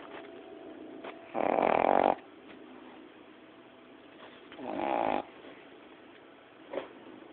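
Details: Napping Boston Terrier puppy, a female aged 9-10 weeks, snores loudly: two long, harsh breaths about three seconds apart, each under a second, followed by a short sniff, in a quiet room.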